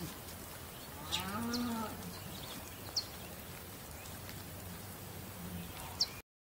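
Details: Domestic bull giving a single moderate, deep, harmonic bellow about a second long, with a low steady hum and occasional sharp clicks around it.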